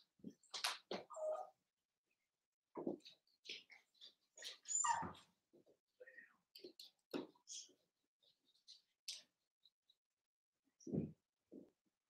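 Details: Three Cavalier King Charles Spaniel puppies, Ruby and Blenheim coloured, born 06/09/2022, in an overnight indoor setting on 8/27: sparse, quiet whimpers and squeaks at uneven intervals separated by near silence.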